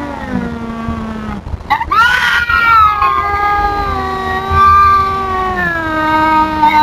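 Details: Feral cat Tubs confronting an intruding cat with sustained, slowly wavering yowls, a louder rising wail near the middle, and a low drawn-out moan sliding downward beneath.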